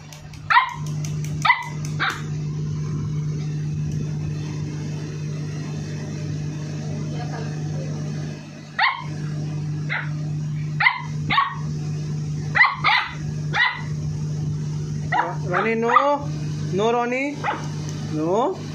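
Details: Aggressive 58-day-old Labrador Retriever puppy giving scattered single sharp barks with long pauses between them. The barks then bunch together, followed near the end by a run of rising, whiny yelps, over a constant low hum.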